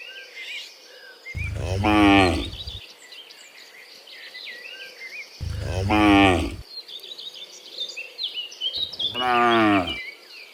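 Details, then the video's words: Dozens of cows mooing in the afternoon as they return from the fields to the pen: three long, deep, harmonic moos, each lasting over a second, spaced about four seconds apart, with small birds chirping in the background. "Sound Dozens of Cows Mooing in the Afternoon Returning from the Fields to the Pen, the Sound of Cows"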